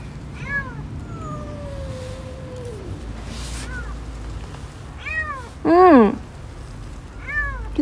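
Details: Kitten stuck in a sewer drain crying repeatedly: several short arched meows, one long drawn-out falling cry, and a loud strained wavering meow near the end, over low background rumble.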